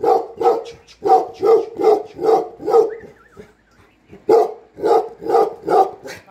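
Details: Tibetan Mastiff, called Bhote Kukur, a herding dog in Nepal guarding home and farm while the owner is away, giving deep, booming barks in quick runs of five or six, a short pause near the middle, then another run.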